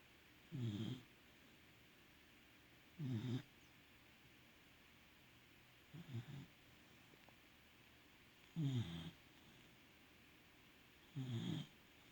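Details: Welsh Corgi sprawled out asleep after a walk, snoring: five short, low, rasping snores about every two and a half seconds, with quiet room silence between them.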